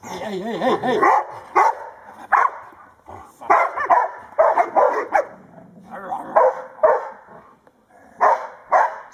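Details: Old English Sheepdogs Blade and Sky, 19 months old, barking while playing with their owner: short, harsh barks in irregular bursts, some paired, after a brief wavering vocal sound at the start, with quiet pauses between.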